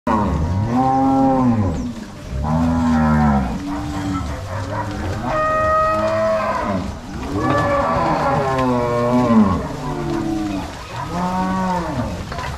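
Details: Crossbred Angus-Nelore cow herd driven by three cowboys and six dogs from corral to pasture, Ortigueira, Paraná, 16 March 2022; several cows low, drawn-out moos overlapping, arching in pitch, about every two seconds throughout.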